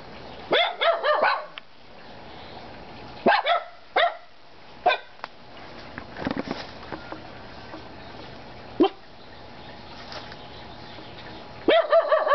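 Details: Three pet dogs giving scattered short bark bursts, some doubled or tripled, separated by long quiet stretches with faint background noise and clicks.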